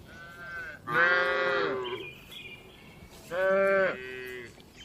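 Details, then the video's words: Cattle inside a spacious farm barn, among dozens of gentle cows resting and eating, give two loud, strained moos about two seconds apart, with fainter calls between them. "Calm Cattle Sounds"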